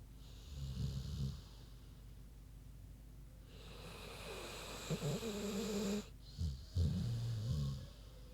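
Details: Big pig named Queenie asleep and snoring: low, rumbling snorts come in bursts, one early, then a long rough stretch and several stuttering, fluttering snores toward the end over a steady hiss.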